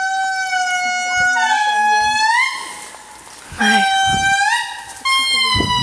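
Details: An indri in Andasibe-Mantadia National Park, Madagascar, in 2016 gives long, wailing horn-like notes that hold steady, then swoop upward in pitch. A baby indri was spotted just afterwards.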